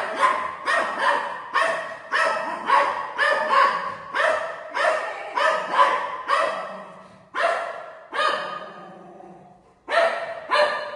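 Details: Golden retriever Buzo barking at home while going for his mummy: a steady string of sharp, throaty barks, nearly two per second, then a few spaced single barks with a low growly tail.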